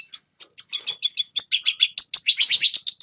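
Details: Young birds learn from this red siskin song: a regular series of short, bright chirps, roughly five per second, dropping slightly in pitch midway before rising again at the close.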